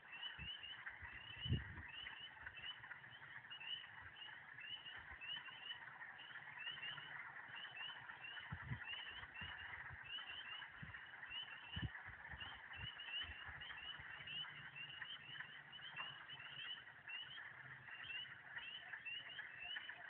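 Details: Signs of spring: a dense chorus of frogs near a lake in Michigan, recorded on a walk, gives high, short peeping notes that overlap without pause; the frog species is not identified.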